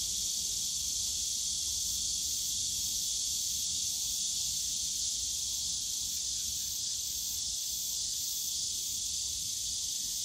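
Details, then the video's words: Summer day in Yongsan Family Park's bamboo grove, filled with a loud, unwavering high cicada drone, buzzy and hiss-like throughout, over a low murmur of distant park sound. "용산가족공원 대나무숲 매미소리"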